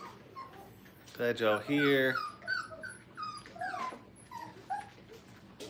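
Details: Five-week-old Brittany puppies playing at a training kennel: after a brief human voice, high, thin whimpers rise and fall in short separate notes, scattered over several seconds.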